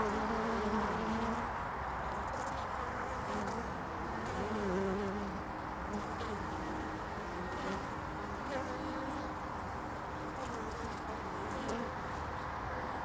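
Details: Honeybees in early spring, 22 February 2019, traffic on a hive landing board: a steady, dense buzzing hum of many bees, fairly even in loudness, with faint lower drones weaving through.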